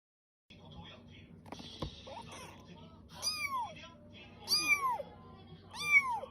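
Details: Small rescued kitten, newly arrived at its home and possibly hungry, gives three high, arched meows about every 1.3 seconds, each rising then falling, after a quieter stretch with brief rustling and handling noises.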